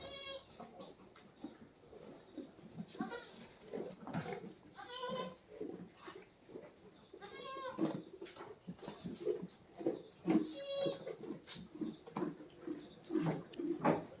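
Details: Goats and young kids on a farm where a doe has just given birth. Repeated short, harmonic bleats come every second or two, mixed with a man's speech and rustling.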